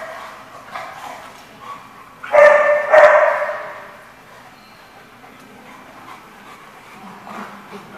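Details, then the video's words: Dog barks at a lot full of dogs, dated 12/12/14: two loud rough barks in quick succession midway, with faint distant barking and low murmur through the rest. "The Barking Lot"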